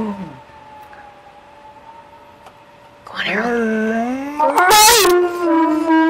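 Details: Harold, a dog, howling along with a passing fire engine siren: after a faint steady siren tone, a long rising howl swells midway and holds as a sustained wavering note, with a brief noisy burst near the end.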